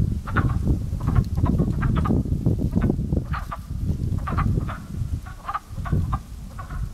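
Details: Early spring at a frog pond, with a crow-like chorus: many frogs giving hoarse, knocking croaks in short volleys, rising and falling in loudness, beneath constant deep rumbling background noise.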